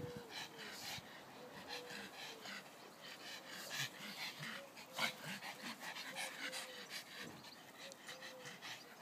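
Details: Three dogs named Leah, Sonny and Taffy playing in a garden; rapid rhythmic panting with soft breathy bursts, a few faint whimper-like tones, and a human voice briefly in the background.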